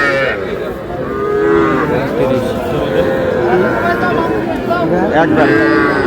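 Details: Cattle calves, young bulls and heifers, at a Comilla livestock market in Bangladesh on 12 May: a string of moos with rising and falling tones, several animals calling in turn against market crowd noise.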